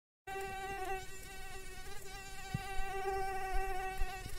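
A mosquito's steady, high whining buzz, holding one pitch with a stack of bright overtones.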